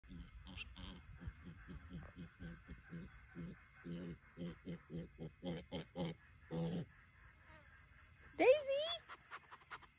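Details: Mini pig upset at being left behind, giving a rapid run of short, low, pulsed grunts, several each second, then one brief rising squeal with a wavering tail near the end.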